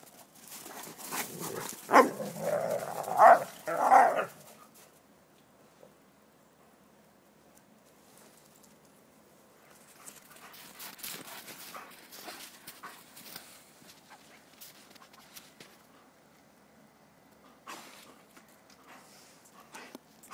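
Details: Red rust Dobermans at play in snow: a cluster of three loud, gruff barks and growls in the first few seconds, followed by long quiet stretches of crunching, scuffling movement and one brief later noise.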